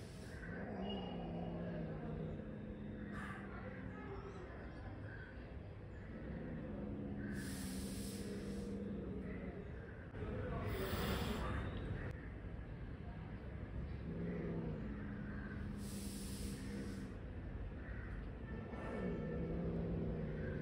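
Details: Angry cat growling in long low tonal rumbles with harmonic bands, broken by broad bursts of hissing noise at about 3, 7.5, 10.5, 16 and 19 seconds; steady background noise throughout.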